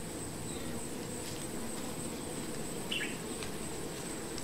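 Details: Low, even humming of a honey bee hive throughout, a faint high steady whine on top, and a single short chirp near the three-second mark.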